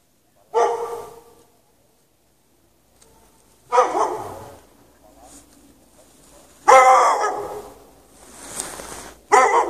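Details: A dog chained outside in the snow at night with no shelter, on 3 March 2014, barking for hours from 8 PM until after 11:30 PM. Four loud, rough bursts come about every three seconds, with quiet gaps between them.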